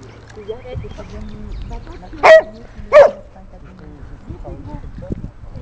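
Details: Old female golden retriever resting after training, barking as a young Bernese Mountain Dog named Ganache tries to take a pebble she is eating; two sharp, loud barks about a second apart amid low voices and rustling.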